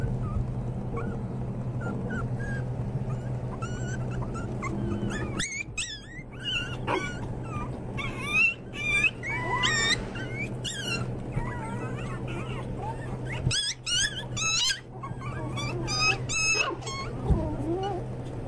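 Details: Pomeranian toy spitz (volpino) puppies whimpering and yipping almost continuously, many short high squeals and wavering whines crowding together, against a steady low hum.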